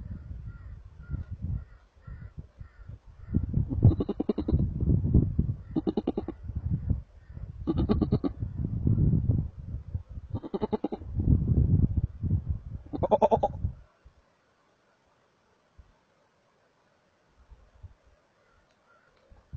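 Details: Markhor in Chitral Gol National Park, Pakistan, giving harsh, hoarse bleating calls in quick bursts, with brief pauses between.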